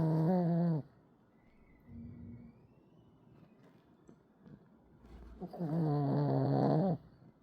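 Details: Sleeping Pekingese snoring indoors, two long buzzy nasal snores, one at the start and another near the end, separated by softer breathing and small rustles.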